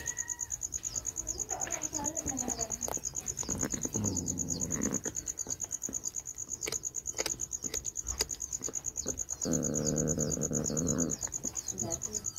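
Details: Domestic cat meowing while eating a rat and squabbling with its kitten over it; strained harmonic meows early, mid-clip and a longer drawn-out one near the end, over a steady high ticking insect chorus and crunching.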